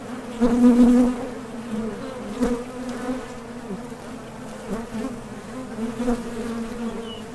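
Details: Honey bees leaving and landing at a top bar hive entrance while foraging for nectar; a loud close buzz opens, then settles into a steady humming drone with small swells.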